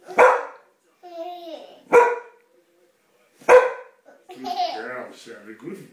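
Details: A pet dog at home with a family gives three sharp, loud barks about one and a half seconds apart, then a baby giggles and squeals.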